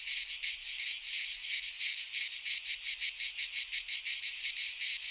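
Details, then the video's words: Greek pine-forest cicadas in midsummer produce a harsh, high, sizzling drone broken into quick regular throbs, roughly three per second, the pulses growing more distinct toward the end. "Cicadas singing in midsummer - Nature sounds from the Greek fauna - Sounds of cicadas"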